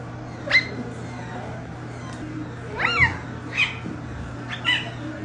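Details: Clouded leopard squeaking: four short, high chirp-like squeaks with sharply rising then falling pitch, spaced irregularly over five seconds, the loudest near the start, above a steady low electrical hum.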